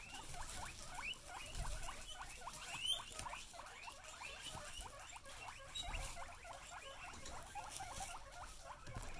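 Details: Excited female guinea pigs calling indoors: a fast run of short rising squeaky wheeks, several per second and overlapping throughout, over a soft rustling background.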